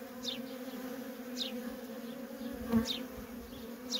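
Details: Worker bees of a feral honey bee colony coming and going without pause: continuous low buzzing hum, four high falling chirps, and a soft thump near the third second.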